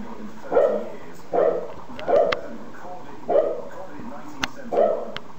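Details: Five evenly spaced, mid-pitched barks from a dog, roughly one per second, each a short rough burst, with faint clicks and knocks between them.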